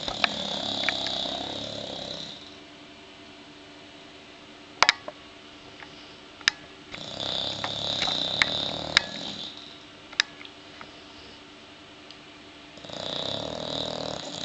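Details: Sleeping bulldogs snoring: three separated raspy, rattling breaths with hissy edges, quiet gaps between them broken by a few sharp clicks and taps.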